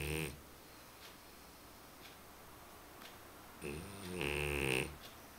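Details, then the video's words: Sleeping dog Römer snoring, a brief snore at the start, then a louder, longer buzzing harmonic snore after a quiet breathing pause. "Römer schnarchend"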